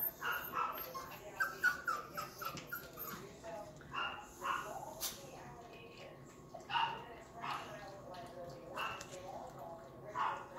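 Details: A pair of Yorkshire Terrier puppies, offspring of the silkie coat Yorkie Vern, give thin high whimpers and short yips in a scattered series. Soft human speech runs underneath.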